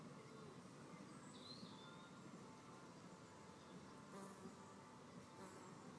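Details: A fight between red mason bees at a nest cavity: a rough, low, wavering buzz runs through the clip, with one brief bird chirp early on.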